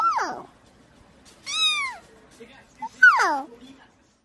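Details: Domestic cat from a funny cats-and-babies compilation calls three times in about four seconds: a falling meow, a longer arched one, then a wavering descending meow. Faint voices sound in the pauses.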